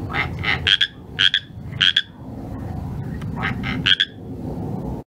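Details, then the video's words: Pacific tree frog calling at night: a rapid run of raspy, ringing croaks, several paired notes in quick succession, a brief pause, then more, over steady low background noise. "PACIFIC TREE FROG"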